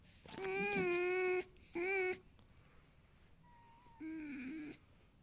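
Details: A pet fox named Alf whines contentedly, not hurting, annoyed that no one hurries to cuddle and stroke him. Two strong, even squeals close together, then a quieter, wavering squeak after a pause.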